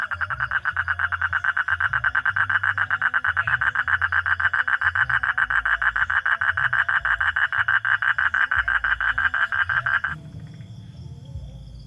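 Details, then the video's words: A frog calls at night with a rapid run of rasping pulses, about three per second. The run keeps an even pitch, then stops abruptly near the end, leaving a faint low hum. "hunting for frog sounds at night"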